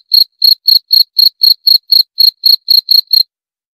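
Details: A cricket gives a run of about thirteen shrill, evenly timed chirps over three seconds, then falls silent for the last half second.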